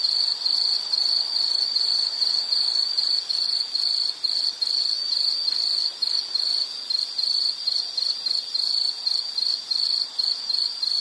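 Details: Soothing insect sounds: an unbroken, piercing pulsed chirp holds one high pitch, with short regular dips between bursts and a faint hiss of higher tones, and no birds, people or music.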